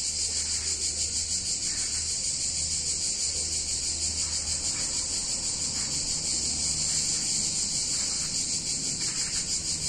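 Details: Cicadas singing on a hot summer day in a picturesque Italian town: a dense, continuous high buzzing drone with a steady shimmering pulse, unbroken throughout, over a faint low hum.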